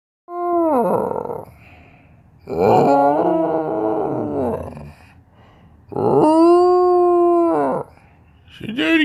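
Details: Siberian husky talking to demand that its owner get out of bed. Three long, drawn-out, howl-like vocalizations, each about one and a half seconds, wavering in pitch then sliding down, separated by short quiet pauses indoors.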